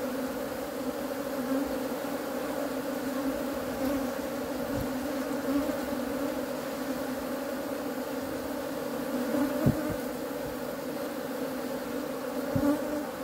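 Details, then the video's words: Even, sustained humming of honey bees with rich overtones and a few faint clicks scattered through the drone. "#honey #bee"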